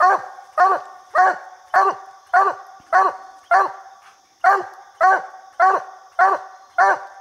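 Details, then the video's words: Treeing coonhound barking at a raccoon up a little tree, said to bark about seventy times a minute; sharp, loud barks come in an even series roughly every half second, one short pause midway, a man counting nearby. "Bandit Treed Coon Hunting"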